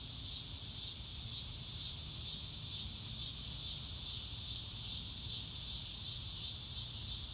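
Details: Crickets outdoors on a blue-sky day, recorded in real time with no music: high, shrill chirps pulse in regular waves about every half second over a continuous insect hiss, with faint low rumble beneath.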